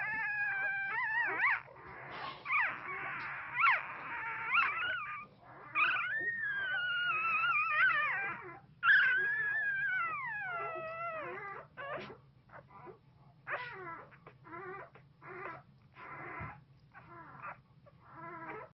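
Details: A one-week-old Pit Bull puppy, dreaming intensely in its sleep, gives high, thin whimpers that slide up and down into short wails, then breaks into brief squeaks and yips with pauses between them.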